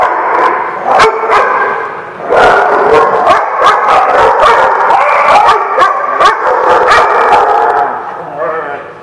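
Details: Several dogs barking together at The Barking Lot on 3/5/16. Quick, uneven barks and yelps stack over one another almost continuously, mixed with human chatter, then fade slightly toward the end.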